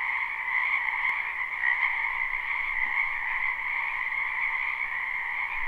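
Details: Wetland frogs in spring, recorded live, form an even mass of high trilling croaks that holds steady for the whole stretch, with a short faint tick near the start and no other sounds.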